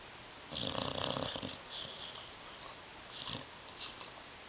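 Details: Tyson the dog asleep on a love seat indoors, snoring loudly: a long rasping snore burst, then a shorter hissing one and a brief final snort, with quiet room tone between breaths.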